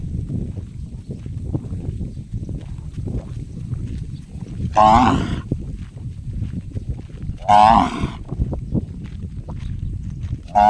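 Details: Cow giving an unusual gong-like call: two short, loud, harmonic-rich bursts about three seconds apart, with a third starting at the end, over steady low rumbling background noise.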